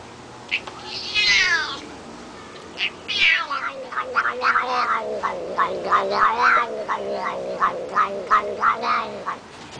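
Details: A pet cat making weird noises while his back is scratched, a habit that comes with biting fingers: a long wavering meow-like cry, then a run of short chirping, trilling yowls repeated several times per second over a low hum.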